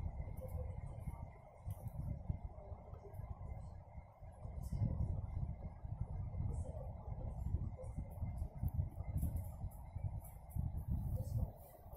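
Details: Low, muffled rumble like a vehicle interior, with a faint steady high tone and soft scattered ticks; no clear animal sound.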